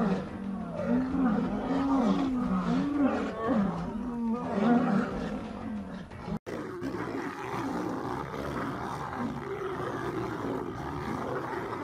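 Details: Female lion assaulting a male lion, with continuous guttural snarls that carry a wavering, moaning tone, followed by a sudden brief drop-out and then rougher, noisier growling.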